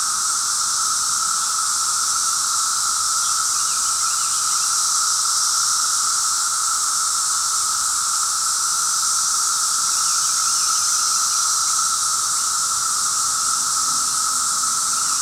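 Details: A fifth day of cicada noise, grating after a while; the dense high drone runs on without break, slightly pulsing in strength, over a constant lower whine.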